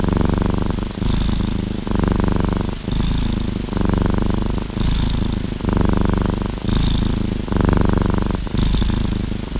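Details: Orange tabby cat snuggled in a hoodie purrs continuously; a rhythmic low rumble swells roughly every two seconds through five breath cycles, with a soft hiss marking each inhale.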